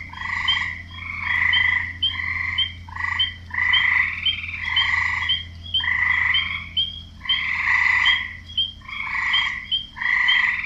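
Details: Frogs croaking in a chorus, males calling to attract females; overlapping raspy pulsed croaks in bursts of about half a second to a second, with a steady low hum beneath.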